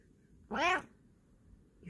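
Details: A Bengal cat gives a single short meow, about a third of a second long, with a slight rise and fall in a quiet room. A faint human voice starts near the end.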